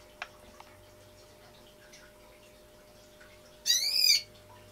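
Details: Rat constricted by a king snake during a live feeding, letting out one brief, shrill, harmonic squeal near the end; otherwise near-silent with faint clicks and a steady low hum.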